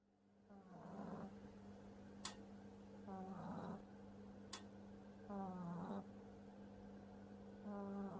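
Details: A French Bulldog puppy, sleeping and snoring heavily: raspy, throaty snore bursts come roughly every two to three seconds over a steady low hum, with two sharp clicks between the breaths.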